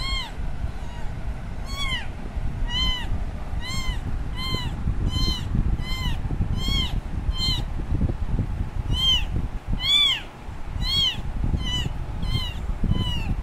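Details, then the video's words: Abandoned kitten crying for its mom: a long run of sharp, piercing meows at a fairly steady pace of about one per second, briefly pausing midway, over continuous low rumbling noise. "Baby kitten meowing very loudly for mom that her mom took her away."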